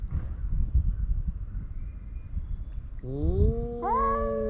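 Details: Male stray cats fighting on a cat island; after low rumbling noise, a rising growling yowl swells into a higher, steady wail in the last seconds.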